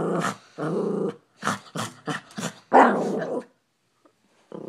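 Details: Maltese dog goes wild at a squirrel outside the window, giving a string of short, throaty growls in bursts, one longer rumble near the end, with quiet gaps between them.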